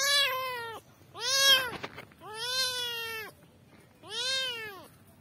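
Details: Four loud, drawn-out meows from kittens calling for their mother, each an arched, strongly harmonic wail repeated roughly once a second, with faint rustling between calls.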